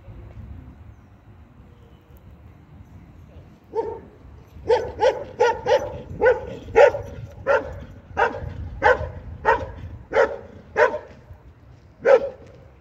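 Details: Belgian Malinois at an IPG 2 regional competition in Sin-le-Noble, France, 2023: after near silence, about a dozen sharp, loud barks follow at a steady pace of roughly two per second, ending with a single late bark.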